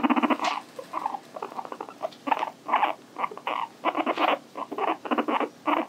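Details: Pet guinea pig Hii-chan indoors, a series of short buzzy pulsed bursts in uneven bunches, some long and rattling, others clipped, with brief gaps between them throughout.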